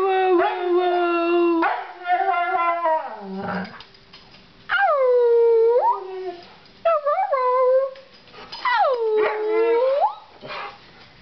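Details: Snow dog puppies howl together in separate bursts: steady held notes, then swooping cries that dip and rise again, with brief quiet pauses between the phrases.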